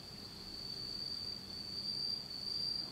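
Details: Japanese autumn insects at night in total darkness, keeping up an unbroken high-pitched ringing trill that swells slightly in loudness toward the end.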